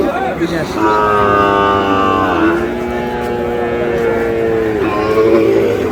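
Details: Sahiwal bull calf at a cattle sale, 22 May, involving a farmer from Sylhet. A long droning moo with rich harmonics sinks slightly in pitch, then holds steady for several seconds over busy crowd chatter and market noise.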